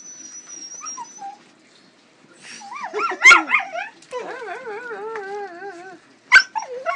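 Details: Female pug whining as a cat goes after her wiggling tail: a thin high whistle first, then long wavering whimpers that rise and fall, one sharp bark in the middle, and another short bark near the end.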